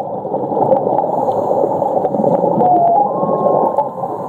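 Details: Whale calling underwater at Ningaloo Reef off Western Australia: a thin, slightly wavering whistled tone held for about a second near the end, over dense gurgling water noise and faint clicks.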